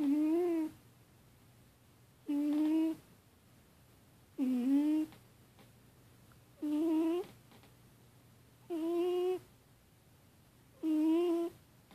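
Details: Annie, a female pet cat, sleeping indoors and snoring, perhaps having a nightmare: six drawn-out, tonal, whining moans with clear harmonics, each under a second long and repeated steadily about every two seconds, with quiet room hum between.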